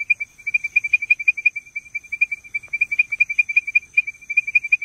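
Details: Advertisement call of Leptodactylus mystacinus, a rapid run of brief high-pitched whistled notes on one pitch, closely spaced and slightly uneven in loudness, on a quiet background.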